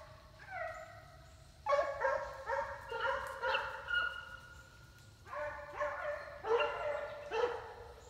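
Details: Foxhounds with a Treeing Walker puppy running a coyote in New York State in summer; a pack of hounds gives drawn-out bawling bays, then bursts of overlapping choppy barks that rise and fall in waves.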